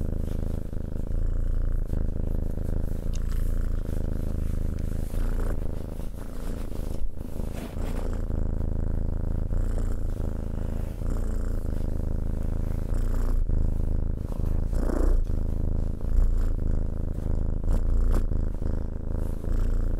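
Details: Continuous low purring of a cat, a thick vibrating hum that stays even for the whole stretch, with occasional faint handling noises.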